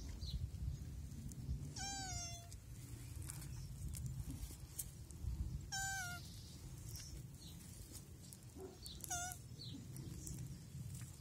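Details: Mating African land tortoises giving three separate cries, each a brief harmonic, slightly falling, bleat-like call, spaced about three to four seconds apart, against constant low-pitched background rumble.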